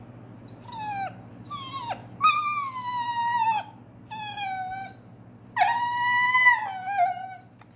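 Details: German Shorthaired Pointer 'talking' while trying to get out of trouble: a series of high whining, howl-like vocal notes, each sliding downward, with a longer drawn-out whine near the end and a steady low hum in the background.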